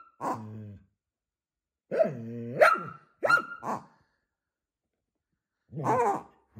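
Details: Scottish Terrier barking back and forth with a pig: a low growly vocalisation followed by several short sharp barks in two bursts, with a pause between and a final rough bark.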